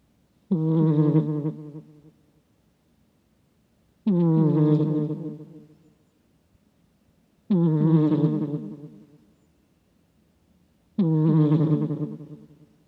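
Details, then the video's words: Sleeping domestic cat snoring, recorded close with a microphone, its snore likened to a middle-aged man's: four harsh, buzzy low rasps, each swelling then fading over about 1.5 seconds, spaced roughly 3.5 seconds apart in a quiet room. "코 고는 고양이 / 비쥬얼과 넘 다른 아재 코골이"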